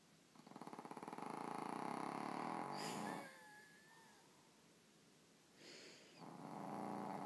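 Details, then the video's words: Sleeping pet rabbit snoring: a rapid, regular fluttering buzz of about four pulses per second in two bouts, separated by a quieter pause that holds a brief thin wavering whistle. "Bunny snoring"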